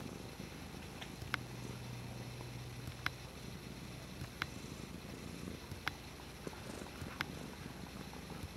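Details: Dutchess the cat purring steadily, a deep, even rumble, while she plays with a water bottle lid, which gives sharp clicks roughly every one to two seconds.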